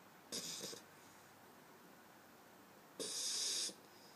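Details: Sleeping pit bull puppy, eight weeks old, resting on an arm indoors: two airy, rasping snore bursts, the second longer and louder, separated by near silence.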